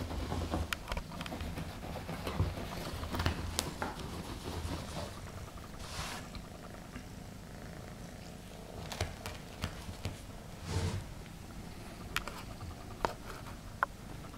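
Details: Egyptian Mau kitten, one of a litter born 4 November 2015, described as a friendly little male, purring indoors: a steady low rumbling purr throughout, with scattered rustling and soft clicks from handling.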